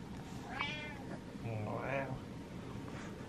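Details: One short, fairly faint meow comes from Butters, a domestic cat waiting impatiently for his owner inside, followed by a man's low meow-like reply and soft room noise.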